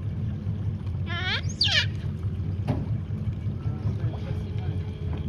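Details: In the Pantanal in 2021, a giant otter (Pteronura brasiliensis) refusing to share a big fish with a youngster gives a brief, harsh squealing call over a steady low boat-engine rumble.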